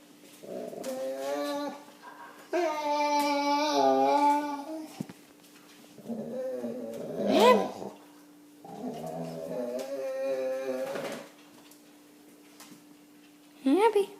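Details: Pet dog indoors making funny vocal noises: drawn-out whining and groaning moans with wavering pitch in several bouts of one to three seconds, ending in a short high yelp, quiet pauses between.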